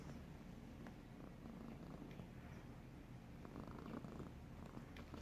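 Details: Bogart the cat snores in a dense, even low rumble with rough, gravelly texture and light crackling breaths layered above it throughout.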